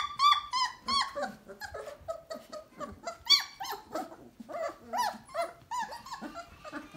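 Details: Three-week-old Basset Hound litter inside a whelping box, several pups squeaking and whining at once; arched, wavering cries in uneven bursts, with rougher grumbling notes mixed among the higher squeals.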